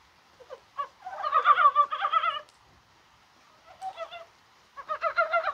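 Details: In January rain on a day that felt like spring, mountain brown frogs give a long clucking run of rapid throaty pulses, then a faint short burst, then another rapid croaking sequence at the end.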